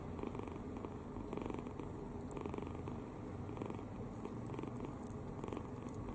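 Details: Kitten sleeping soundly with its mouth open, fully relaxed, snoring indoors: soft raspy breaths pulse steadily about twice a second in a quiet room.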